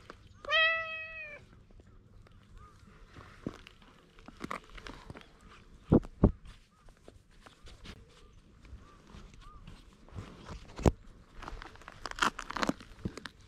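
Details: Stray cat with odd markings pleading, then climbing onto a lap, captured with a GoPro HERO8: one loud, drawn-out, slightly rising-then-falling meow early on, followed by long quiet stretches of rustling, taps and handling noise.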